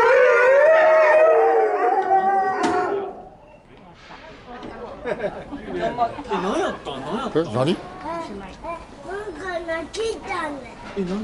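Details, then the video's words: Several Chinese wolves at Tennoji Zoo, 23 February 2013, hold long, steady howls that suddenly stop dead, followed by wavering yips and chatter. "オオカミの遠吠えがピタッと止む瞬間"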